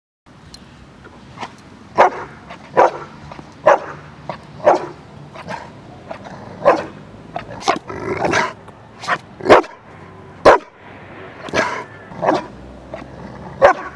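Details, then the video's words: Domestic dog in training, barking on command and rewarded with a toy alongside a marker word; short, sharp barks repeat about once a second throughout, with brief crisp clicks and handling noises between them. "Bark on Command"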